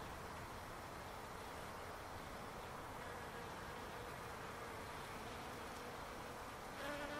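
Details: Backyard palo verde tree full of bees: an unbroken, steady buzzing drone throughout, with a brief higher whine near the end as one insect passes closer.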